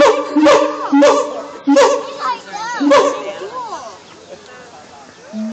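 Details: Siamangs sing loud, harmonic hoots punctuated by sharp booming barks, then rising and falling wails.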